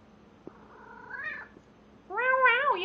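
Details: Male domestic cat yowling loudly while mating with a stuffed toy; two drawn-out, wavering harmonic cries, the second louder and rising then falling, with a brief click between.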